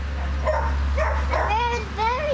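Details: Bushland Terrier puppies, six weeks old, still wanting milk from their mother, give drawn-out wavering whines that rise and then fall, several in a row. A person speaks over them and a constant low electrical hum runs underneath.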